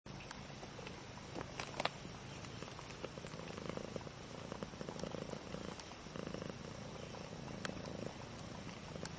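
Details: Mother cat with her two-week-old kittens, whose eyes have just opened, purring; a steady low rumbling runs throughout under soft hiss, with a few faint clicks and rustles.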